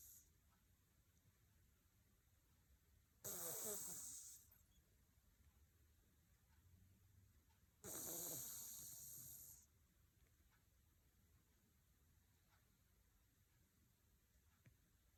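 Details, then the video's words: Minnie, a pet cat asleep, gives tiny snores: two soft, hissing, breathy snorts about four and a half seconds apart, with near silence around them. "My Cat Minnie's Tiny Lil Snores"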